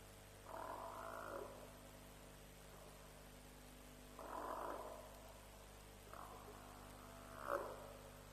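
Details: African buffalo at a lions' kill at Djuma, roughly 3:00 am, 07/03/07, calling in a series of four coarse, grunting bawls spaced a few seconds apart, each about a second long, over a low steady hum.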